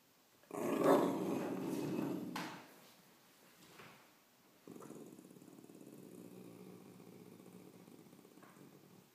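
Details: A Cocker Spaniel growls at a spider: a low, rumbling growl, a loud burst first and then a steadier, softer rumble.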